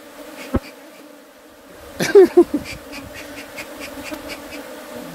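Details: A bee gives a steady low buzz with layered overtones, interrupted midway by a cluster of sharp knocks and taps, while faint Spanish speech is heard nearby.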